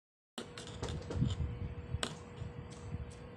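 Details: Sharp taps and clicks like handling objects on a hard surface, over a faint steady hum and low room rumble.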